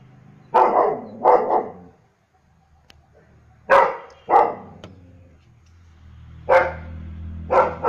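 A German Shepherd gives deep, loud barks in quick pairs with short pauses between.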